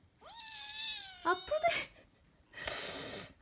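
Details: Persian Chinchilla kitten giving a drawn-out meow that rises and then holds steady, followed by a couple of short chirping mews and a burst of rustling noise; a person talks softly around it.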